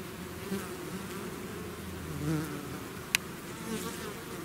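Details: Bees in a swarm emerging from their hive, a steady low buzzing mass with occasional louder fly-bys, and one sharp brief click partway through.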